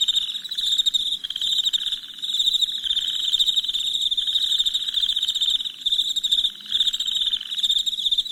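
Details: Constant shrill chirping of many crickets after dark: a bright, rapidly pulsed ringing tone over a raspy, wavering undertone that pulses in loose bursts throughout.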